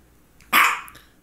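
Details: A single loud, harsh bark from Misha, a female pet dog who had focal seizures just before and shortly after, abrupt onset then trailing off, followed by someone telling her to sit and praising her as a good girl.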